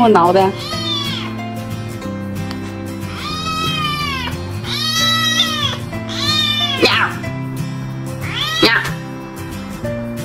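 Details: A tiny baby kitten meowing loudly to be petted; long, wavering meows recur every one to two seconds over soft background music, with a woman speaking Chinese.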